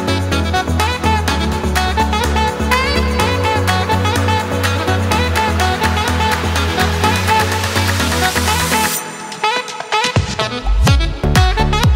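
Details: Upbeat electronic dance music with a thumping bass line, which thins to sparse percussive hits near the end, with no animal sounds.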